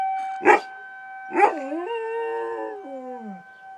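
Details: Riley the dog answers a tornado siren with two short yips followed by a wavering, slowly descending howl, the siren's constant tone running underneath throughout.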